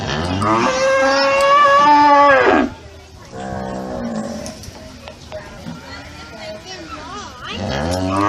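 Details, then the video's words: Cow lowing: a loud, nasal moo at a higher pitch that wavers and then drops off, followed by quieter, muffled, voice-like sounds and a rising call at the end. "Cow Sound Effect 🔊 , Lowing, Mooing, Moo 🗣️ - Sonido / Mugido de Vaca, Vacas Mugiendo Muu"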